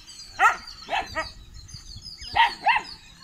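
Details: Guarding 81-day-old Kanni and Chippiparai pups in Thiruvarur, recorded 2 August 2021: a handful of shrill, clipped barks, a pair early, a softer double, then another pair after a pause.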